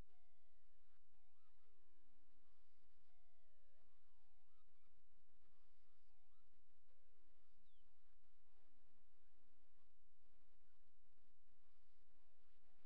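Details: Several coyote puppies, all boys, just old enough to walk with eyes open, whine in drawn-out falling squeals and shorter chirpy squeaks, some calls repeating about every second, against steady low noise.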